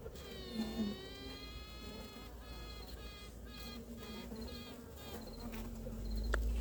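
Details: Western honey bee (Apis mellifera) queen piping on 2 May near Ankara during introduction to a colony whose workers tend to ball her: a long reedy toot, then evenly spaced short pulses, announcing herself and rallying support for acceptance.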